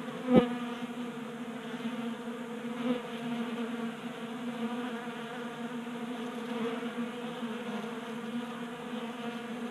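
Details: Honey bees at a 3D printed feeder in a Colorado garage in midwinter warmth: a close bee zips past with a sharp loud buzz near the start, then a softer steady group hum with another brief fly-by.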